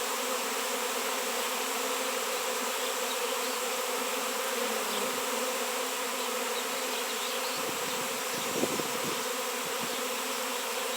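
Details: Honey bee swarm gathered at a raw 7 lb piece of shungite, in an area where honey bees had not been seen for years: a dense, steady, low droning hum of many wings with layered tones, unbroken for the full stretch.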